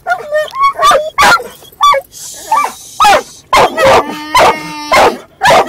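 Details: Pet dog barking in a funny way inside a car while a second dog moves around: short high yips and whiny pitched notes alternate with sharp loud barks, roughly two per second, irregular rhythm.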